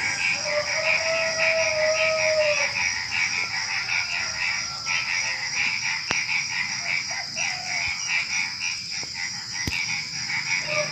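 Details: Frogs calling at night just before dawn: a busy chorus of rough pulsed croaks repeating irregularly, over a constant high buzz of crickets and other small creatures, with one long drawn tone near the start.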